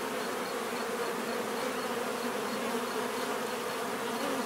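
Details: Steady droning buzz of bees, several wingbeat pitches blending into one unbroken hum, with a faint high pulsing tone in the background.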